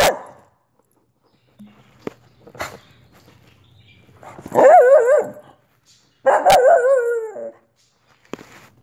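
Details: Olive, a Soft Coated Wheaten Terrier, gives two drawn-out, wavering barks about a second each, separated by a short pause, with scattered clicks and quiet background hum between them.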